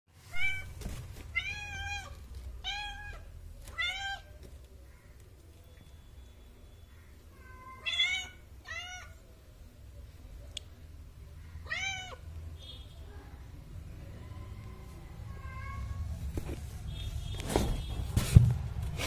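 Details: Newborn kitten giving several short high mews in quick bursts near the start and middle, each with stacked bright harmonics, separated by quiet gaps with low room rumble and a few soft clicks.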